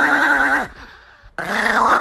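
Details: Chihuahua indoors protesting at being kissed, giving loud, harsh, drawn-out growling grumbles, one lasting about two-thirds of a second, then a brief pause before another rising, whining growl.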